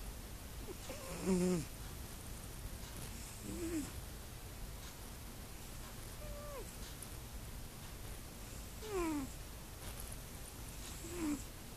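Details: Sleeping domestic cat, apparently dreaming, gives short squeaky murmurs: about five brief chirp-like mews, several sliding downward, scattered every two to three seconds over a low steady indoor hiss.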